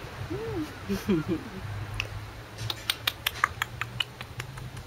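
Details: Male Corgi puppies, 44 days old, filmed 29 April 2013 at a Corgi kennel: a few high, arched whines and short squeaks in the first one and a half seconds, followed by sharp clicks or taps over a low steady hum.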